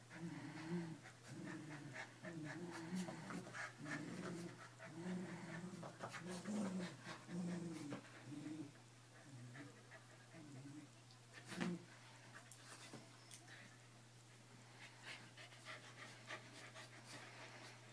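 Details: Keeshonds, two of them, playing tug of war, with a run of low harmonic growls repeated about once a second that fade into panting and scuffling, against a steady background hum.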